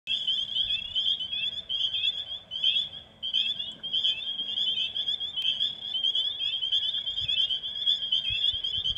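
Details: Spring peepers (Pseudacris crucifer) in a vernal pool in springtime give a dense breeding chorus of high, piercing peeps overlapping into a continuous ringing wall of sound.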